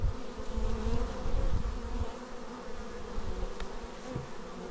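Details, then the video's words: Bees landing at their hive, filmed raw on a Xiaomi Yi action camera: rich humming buzz with rising and falling whines of individual bees and low, breathy rumbles throughout. "Bees arriving at hive"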